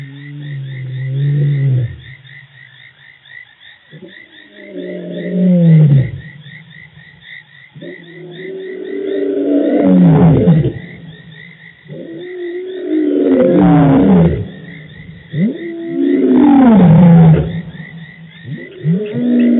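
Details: Birmingham Boys male lions roaring dominantly at the dam in Djuma Game Reserve, 24 March 2018; deep moaning roars build into a series of falling grunts every few seconds over a steady trilling frog chorus.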